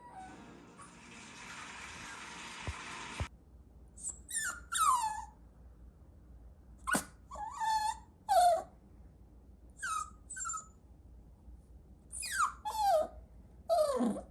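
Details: Chihuahua puppy whimpering indoors: about eight short, high yelping whines, each sliding sharply down in pitch, spaced irregularly after an opening burst of hissing noise.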